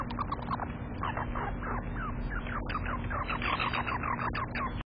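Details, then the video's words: An outburst from Prince, a squirrel, beside an unbothered companion squirrel. Dense bursts of sharp, squeaky chips repeat rapidly and unevenly for the whole stretch, some notes reaching higher, all over a low steady hum. "Prince's Shocking Outburst: Another Skirl Unfazed"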